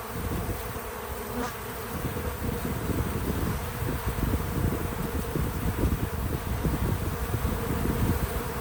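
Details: Bees visiting a feeder outdoors on a small farm: a steady, low droning buzz of many wings holds throughout, with a strong rumbling low-frequency wash beneath it and a slight swell in loudness toward the end.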